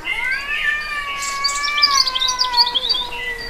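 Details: Cat giving a long drawn-out meow lasting over three seconds, a steady wavering harmonic tone that sags slightly toward the end, with high bird-like chirps twittering faintly above it.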